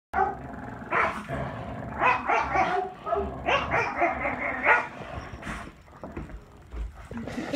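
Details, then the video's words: Two boarding dogs, a French Bulldog and a Husky mix puppy, playing tug indoors: rapid, rough growling barks and yips in irregular bursts, fading toward the end, followed by a person speaking. "French Bulldog Playing with Husky Mix Puppy"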